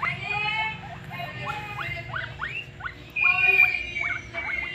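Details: Guinea pigs heard in the early morning, giving a run of high, harmonic squeaks and whines, short rising and falling notes packed closely, with one louder sustained squeal near the end over a low background hum.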